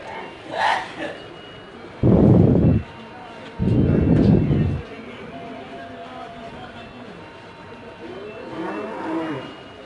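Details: Cattle at a Qurbani cattle market for Eid ul Adha 2024: two loud, low, rough moos in close succession, each lasting about a second, with people talking and bargaining nearby and market crowd noise behind.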